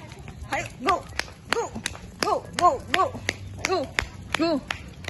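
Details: Poodle giving a run of short, high, arched yelping barks, about eight in five seconds at an uneven pace, each bark rising then falling, with sharp tapping clicks between them.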